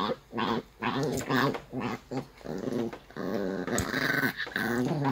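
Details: Maltese dog grumbling in annoyance while being brushed indoors in spring: a run of short, throaty, harmonic moans and growly whines in uneven bursts, with brief pauses between them.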